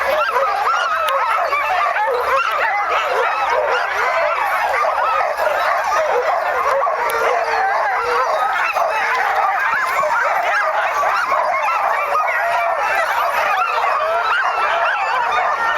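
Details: A team of sled dogs barking, yelping and whining nonstop in excitement as the sled sets off in 2010; a thick, steady wall of overlapping barks, people calling out in the background.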